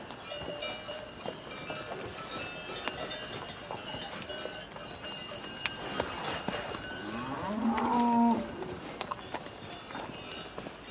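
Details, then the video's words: Cow giving one brief low moo late in the recording, rising slightly then holding steady, heard over a long stretch of clattering, faint bell-like ringing and scattered knocks. "Cow Mooing Sounds"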